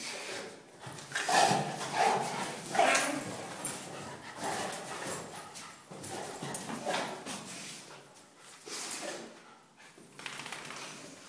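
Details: Two dogs play fighting, a Cane Corso named Zeus and a Mini Schnauzer named Maximus, the small one starting it: three short, sharp bark-like yelps in quick succession early on, then rough scuffling, panting and growly noise throughout.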